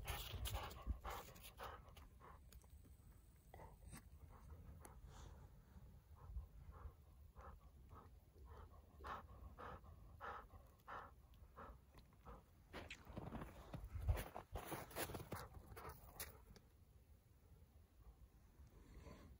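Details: Golden Retriever on a snowy mountain outing beside a cold stream, panting in soft, rapid breathy strokes, roughly two per second and unevenly spaced, with a louder burst near the middle, over faint rustling and footsteps in snow.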